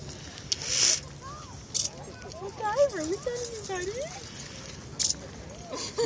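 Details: Two Alaskan Klee Kai from the same breeder's kennel playing together at a dog park: wavering, yodel-like whines that rise and fall over a couple of seconds, with short yips, scuffling and a person's voice nearby.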